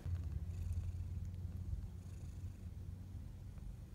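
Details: Purring from a domestic cat family with 12-day-old kittens, one nursing while its siblings flail around nearby; the mother was once an outdoor cat. A steady, low, rumbling pulse continues without pause throughout, with faint background hiss.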